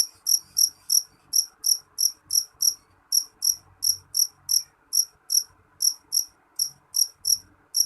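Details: Nyaring jeliteng cricket sound: loud high-pitched chirps pulsing about three per second, grouped in short runs with slight hesitations between them.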